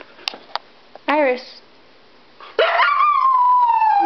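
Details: Siberian Husky named Iris, worked up after being left behind when others went to PetSmart, gives a short yelp, then a long whining howl that rises and slowly falls away; a person's voice talks to her beforehand.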